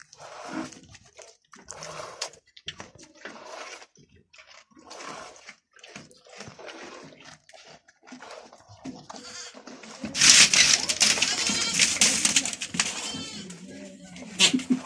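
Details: Goat bleating during milking with its kids nearby: scattered soft calls, then a louder burst of harsh, wavering bleats near the end among rustling and handling noise.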